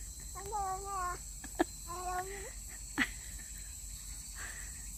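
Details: Street cat at a former feeding place, calling after eating: two moderate meows, the first wavering and the second falling at the end. Scattered clicks follow, over a constant high insect buzz and faint background noise.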